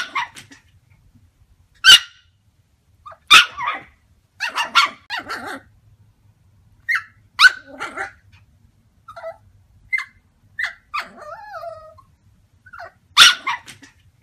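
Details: Yorkshire Terriers, a small breed from Yorkshire, England, giving sharp high-pitched barks and yaps at irregular intervals, with short whiny yips and a whimper between the louder barks.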